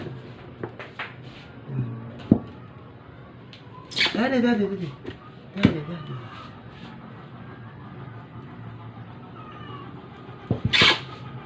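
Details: A dying stray cat under force-feeding lets out one clear bending meow midway, short and strained, amid quiet talking, rustling and a few sharp knocks.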